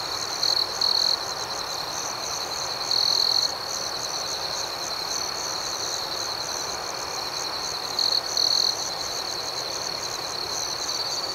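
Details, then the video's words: Crickets chirping at night: a steady high-pitched trill runs throughout, with a few louder, brighter bursts of chirping near the start, the middle and the end. "Soothing Cricket Sounds"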